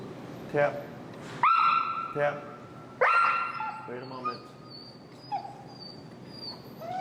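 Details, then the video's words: Finn, an extremely vocal dog in recall training with an e-collar in Chicago, gives two high, drawn-out whining whimpers near 1.5 and 3 seconds, each held steady about half a second, with shorter yips and faint background noise around them. "Working An Extremely Vocal Dog"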